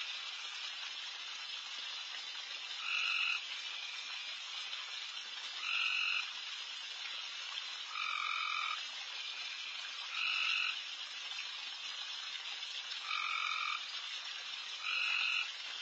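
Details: At night in a backyard where deer feed, frogs call from all around: a constant hissing chorus, with louder two-pitched tonal calls standing out roughly every two and a half seconds.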